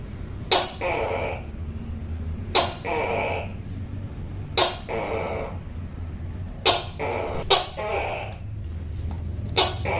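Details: Tokay gecko on a wall giving repeated harsh two-syllable calls, a sharp click then a rasping nasal note, roughly every two seconds with one quicker pair near the end, over a low rumbling background.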